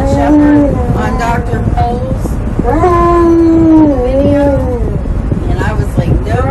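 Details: Riding in a car and unhappy about his seatbelt, Tonka the Alaskan Malamute complains in a run of talkative, wavering howls and woo-woo moans, rising then sagging, against steady vehicle noise.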